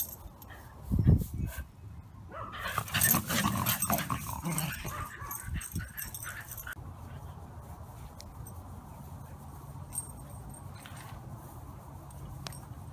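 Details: Senior male Wire Fox Terrier, newly arrived at a rescue after losing his owner. A brief low grumbling sound near the start, then a stretch of shuffling and rustling noise, followed by a quiet background.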